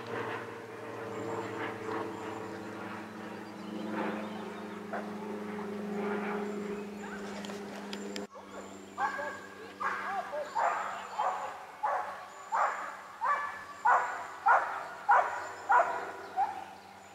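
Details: Japanese Spitz kept as a pet, barking in a quick series of sharp, regular barks about every half second during the second half, after a stretch of low engine hum and talking.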